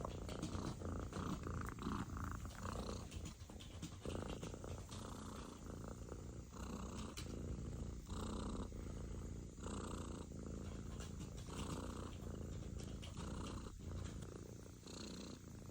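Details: A British Shorthair kitten makes a steady, low, rumbling vibration that pulses with each breath, possibly purring or snoring.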